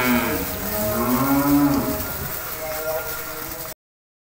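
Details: Cattle feeding on grass in a cowshed; a low, drawn-out moo with a tonal rise near the middle, lasting about two seconds, followed by steady low murmur and background noise before a sudden cut.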